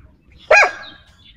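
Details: Pet dog named Xiao Mi, said to be happy with the day's weather, gives one loud, short bark with a sharp onset that fades quickly, with faint higher bird chirps in the background.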